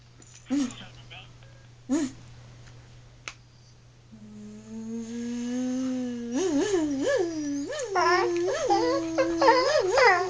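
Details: Abby, a female pet dog indoors, who dislikes being buzzed at, answers a steady droning buzz with wavering, undulating whines and howls that rise and fall repeatedly; a person talks briefly at the start.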